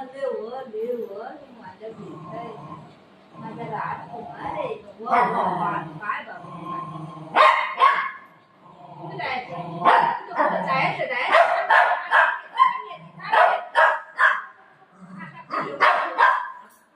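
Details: Family pet dogs Buzo and Milo, a golden retriever and a shih tzu, scuffling over their mummy indoors; irregular bursts of barking and yipping, roughly two per second in stretches, mixed with a woman's constant chatter in Marathi.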